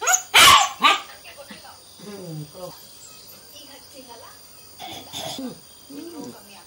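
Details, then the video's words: A 3-month-old Indian German Shepherd puppy gives two sharp, high yapping barks, then softer whining, yelping sounds. "😍3month old German shepherd puppy barking video / sweety the gsd"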